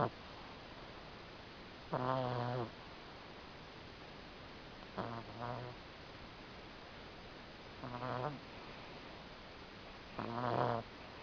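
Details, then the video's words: Sleeping Chihuahua snoring late at night in darkness: four buzzy, harmonic nasal snores, each under a second long, spaced two to three seconds apart against a constant low hiss. "Our Chihuahua, WotWot snoring"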